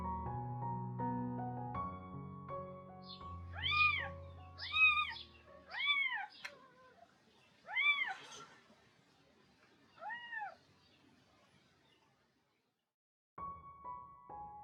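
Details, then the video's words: Kitten calling at breakfast time, drawing its mother, a young former stray cat, away from her meal; a series of six arched meows roughly a second or two apart, fading in strength, with gentle music before and after. "Kohaku đang kêu meo"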